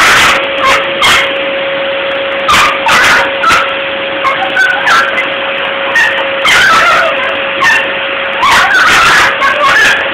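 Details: Female Wire Fox Terrier angry at a running vacuum cleaner, barking in short, sharp bursts, often in quick pairs or clusters, about a dozen over ten seconds, above the vacuum's loud, steady droning hum.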